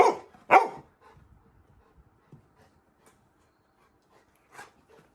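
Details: Sleepy Labrador Retriever named Little John, roused indoors at midnight for a walk, lets out two quick barks in close succession at the start, then near silence with one faint later yelp.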